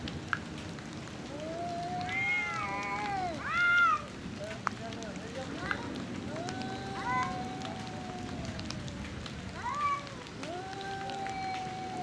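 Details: Two male cats fighting over territory and breeding, outdoors: drawn-out wavering yowls and rising howls, a few sharp louder squalls around the middle, over steady background hiss.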